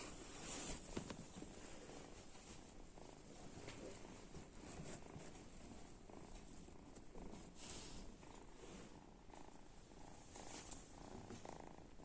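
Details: Snoring kitten, heard as a continuous low, grainy rumble with a breathy hiss that swells and fades slightly, plus occasional faint clicks.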